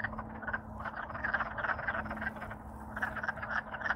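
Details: Wood frogs (Lithobates sylvaticus) in Alaska, after freezing solid over winter and thawing in spring, give a loud, dense breeding chorus of overlapping rapid duck-like clucks and chuckles while courting to attract mates.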